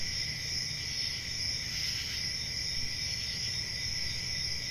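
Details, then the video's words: Constant high cricket trills stack into a bright, even drone with no gaps, set against a soft low-pitched background hiss. "Relaxing Cricket Sounds"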